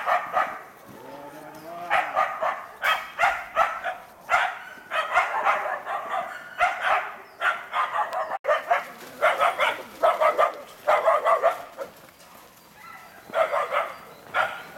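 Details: Karelo-Finnish Laikas, Rus-Fin aged two and Kaya aged eight months, working a penned wild boar while training for trials; rapid bursts of sharp, high yapping barks in clustered volleys, a brief lower whine early on, and faint human urging.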